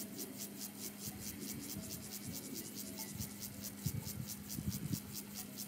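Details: A Siberian grasshopper (Gomphocerus sibiricus) sings a long, steady run of quick, dry rasping pulses, with cowbells clanking behind, at Zollner Alm on 27 July 2017.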